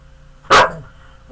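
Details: A big pet dog gives a single loud, sharp bark, one short burst that fades quickly into a quiet room.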